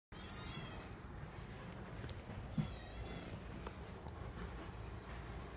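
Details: Female black-and-white Scottish Fold cat, born August 2018, purring in a soft, continuous low rumble, with faint faint clicks and a brief thud midway.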